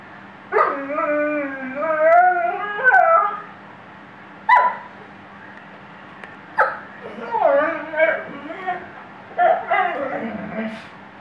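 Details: Weimaraner singing in a series of howls and yelping moans of varying length, pitch swooping and wobbling, with short gaps between bursts.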